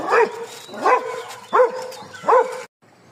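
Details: Street dogs in Thailand heard on a morning walk: four short, sharp barks spaced about three-quarters of a second apart, each rising then falling in pitch, followed by a brief quiet with faint background noise.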